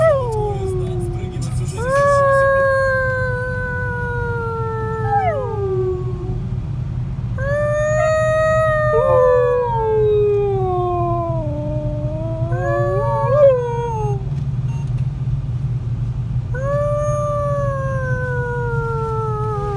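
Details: Siberian Husky, a year and a half old, howling along in a car while people sing to the radio on the drive home from work, Ekaterinburg, Russia, 26 January 2018: long sliding wavering howls, some falling steeply, over steady engine rumble.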